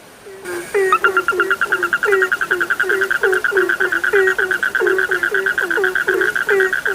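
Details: Frogs calling at night: a dense chorus of short, regularly repeated upward-sliding croaks, several callers overlapping, over a steady higher trilling drone.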